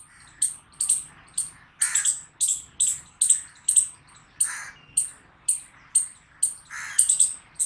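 A chipmunk gives sharp, high chirps, repeated steadily about twice a second.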